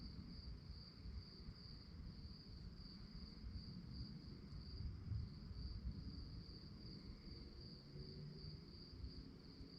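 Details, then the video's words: Crickets chirping at night: a steady, high, shimmering trill held at one pitch, faintly pulsing without pause, over a constant low rumble of background noise. "relaxing sounds of crickets"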